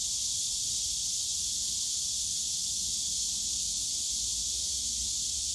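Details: Many cicadas singing together in the Yongsan Family Park bamboo forest in summer, producing an intense, even, sizzling buzz that never breaks, backed by a faint low murmur of park noise.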